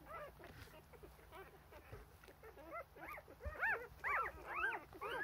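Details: Four-day-old Rough Collie puppies whimpering for milk while their mother is busy cleaning them; a dense run of short, high, arched squeals, a few overlapping voices, growing louder and more frequent in the second half.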